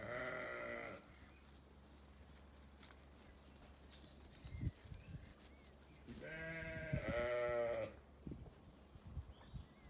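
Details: Ewes and lambs bleating in a sunny orchard on a regenerative farm in County Kilkenny, Ireland: a harmonic bleat opens, then a longer wavering bleat follows about five seconds later, with low rumbling background noise between.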